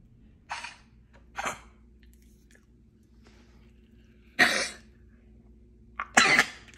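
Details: A Corgi with kennel cough, a respiratory infection, gives harsh, hacking coughs.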